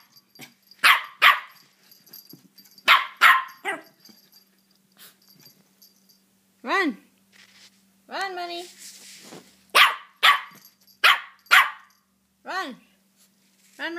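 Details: Playful female Maltipoo puppy, almost four months old, barking because she wants to be chased: sharp high yaps in quick pairs and bursts, some with rising-falling whiny arcs, while a person keeps urging her to run.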